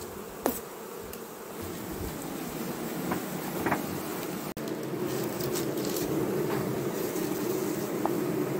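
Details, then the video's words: Western honey bee colony, kept for honey in Jambi, being opened for an acacia honey harvest after three weeks; a dense, even humming swarm buzz grows slightly louder toward the end, with occasional taps and clicks of handling. "PANEN MADU AKASIA . apis mellifera jambi"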